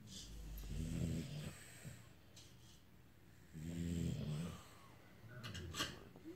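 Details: Nestor, a very tired English Bulldog, snoring indoors; two deep, rumbling snorts about three seconds apart, each lasting around a second, with quiet breathing and faint room noise between.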